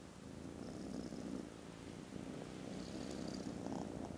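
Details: Contented foster kittens snoozing after lunch on Friday 18th December give a loud, steady rumbling purr with a slow pulsing rhythm throughout, while faint high squeaky tones drift in briefly in the background.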